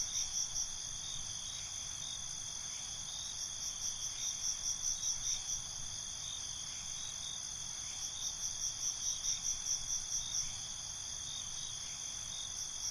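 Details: Night cricket chorus: a dense, shrill high-pitched buzz holding steady, with bursts of rapid pulsed chirps swelling twice, around four and nine seconds, above a quiet low background.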